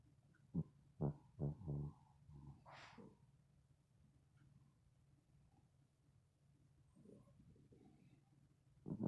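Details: A sleeping female dog snoring; several low rumbling snorts in the first two seconds, a short higher breathy snort near three seconds, then quiet breathing and a loud snore at the end.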